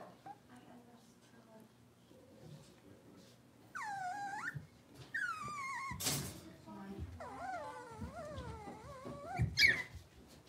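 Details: In an indoor puppy pen, six-week-old blenheim Cavalier King Charles Spaniel puppies from a litter born at New Year utter two sliding whines, a sharp knock, then a longer wavering, quavering cry and a final short yelp.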